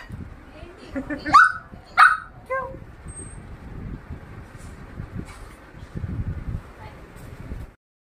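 A Shih Tzu puppy gives two sharp, high yaps, then a softer third.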